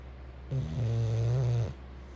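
An English bulldog gives one deep, rumbling snore lasting just over a second.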